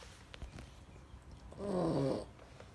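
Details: A Rottweiler snoring: one drawn-out, wavering, rumbling snore of about half a second with a buzzy, harmonic rattle, after quiet breathing and faint soft clicks.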